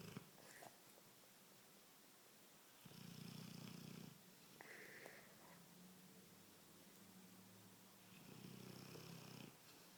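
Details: Nero the Cane Corso asleep and snoring; low buzzing inhalations recur every few seconds, with softer wheezy breaths between the louder snores, in a quiet room.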